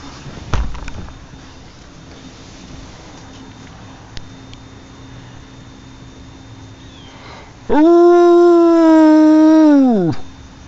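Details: Jo, a dog, answering a tornado siren with one loud, drawn-out howl in the last few seconds. It swoops up, holds a steady tone, then falls away. Quiet hiss and a faint thump come before it.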